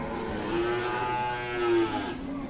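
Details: Cattle at the Ciwareng cattle market in Purwakarta, Indonesia: one long, steady, harmonic moo held for about a second and a half, slightly rising then easing off, over a low murmur of the market.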